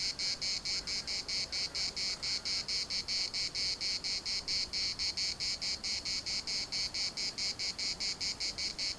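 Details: Cicadas chorusing in the municipal park at Larnaca: a loud, high, harsh buzz broken into steady rhythmic pulses, a little over two each second, holding the same beat throughout.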